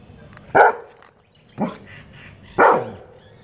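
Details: Labrador Retriever barks at chirping birds that annoy it, three sharp broadband barks about one second apart, with faint bird chirps between them.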